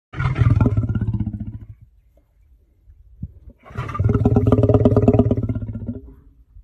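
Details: African lion roaring, two long bouts of deep, pulsing grunts with a short quiet gap between them, strong low rumble and rhythmic throbbing.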